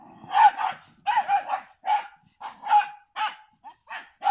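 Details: Standard Bull Terrier and American Bulldog dogs barking steadily: rough, mid-pitched barks in quick pairs and singles, about two per second, continuing throughout with short gaps between.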